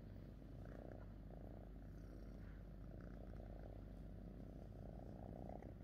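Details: Domestic cat purring while content with its owner; a soft, continuous low rumble with a steady throb and faint rustling.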